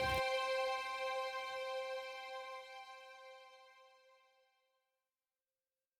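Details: A single struck chime-like musical note rings out and slowly fades to silence, with no animal sound.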